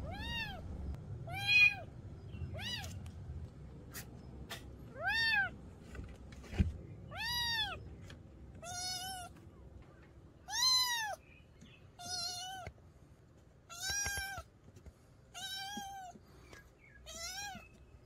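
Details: Kitten meowing, repeated arched, harmonic-rich meows roughly every one to two seconds, rising then falling in pitch, some louder and more drawn out, over a low background hum.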